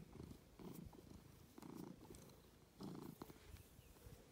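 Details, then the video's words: Domestic cat Ovenmitt, called Lovebug, from a County Kilkenny farm in Ireland, purring while enjoying attention; short bursts of low rumbling purr alternating with brief pauses, as breaths in and out. "A purring cat is sometimes the best most cozy thing"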